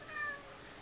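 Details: A domestic cat gives a brief, tonal meow, calling its owner to the kitchen as it usually does.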